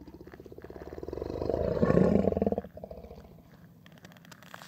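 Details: A male muskox gives a territorial growl: deep and pulsing, it swells to a loud roar, then fades.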